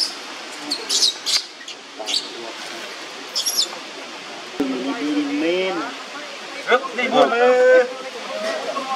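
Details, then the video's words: Young monkey Leo crying on the ground while Libby torments him: wavering, whimpering cries that rise and fall in pitch, with short sharp squeaks before them and background noise. "Leo is crying on the ground"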